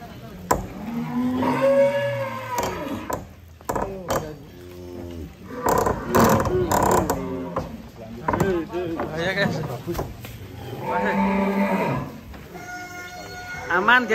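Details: A huge bull at Bintang Tani Farm in Indonesia refuses to come down from a truck. It had gone wild the night before and is on a long rope. Repeated deep moos rise and fall, mixed with handlers' shouts and background music.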